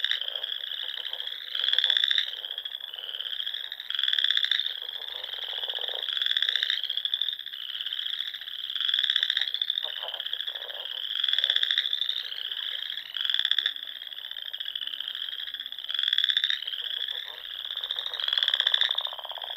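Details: Dusk in the Sandhills of Nebraska in spring, frogs singing by the ponds: a steady high trilling chorus with louder buzzy bursts breaking through about every two seconds, several callers overlapping.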